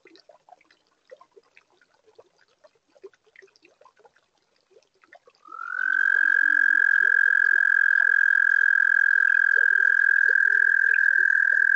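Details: Toads singing on a warm spring night at a garden pond built in 2022: faint scattered croaks and clicks for five seconds, then a loud, steady, pulsing trill on one high pitch that holds unbroken to the end.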